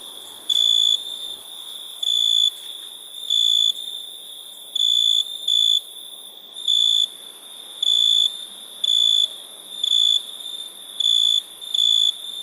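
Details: Crickets at night in India give loud, pure, high chirping bursts of about half a second, repeated roughly every second in a steady rhythm, over a continuous thin, very high insect hiss.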